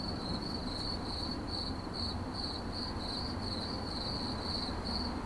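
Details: Cricket in 8D audio giving evenly spaced, high-pitched pulsed chirps, about two to three bursts a second at a single steady pitch, with a soft low rumble underneath.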